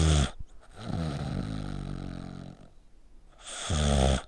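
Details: ['Dog snoring indoors like a person while sleeping with its neck squeezed tight; a harsh rasping snort opens, a lower rattling buzzy drone with stacked tones follows, then quiet, and another loud rough snore ends.']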